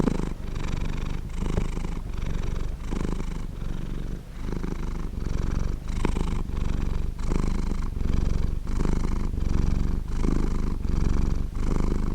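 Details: Close recording of a contented pet cat purring: steady deep rumble pulsing in breath-length waves, slightly louder and brighter in the later swells, warm and round, no other noises.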